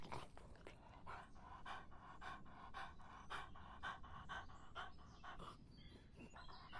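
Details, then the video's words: Dog drinking in hot summer: soft, wet lapping strokes repeat about twice a second, quiet and close, with a low background rumble. "더운 여름 강아지가 목 축일 때 나는 소리 The sound of dogs on their throats in the hot summer"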